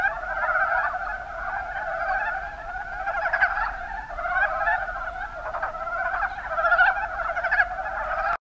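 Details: Kuma Basin, Kumamoto, Japan: mountain brown frogs (Rana ornativentris) produce a thick chorus of short, pulsed, chuckling croaks, with bursts of louder calls standing out over the continuous background of callers.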